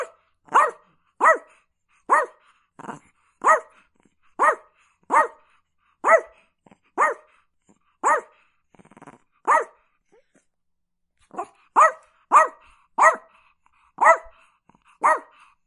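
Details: Chihuahua barking steadily, roughly one sharp yap every half second to second, about twenty barks with a short pause midway before the run resumes.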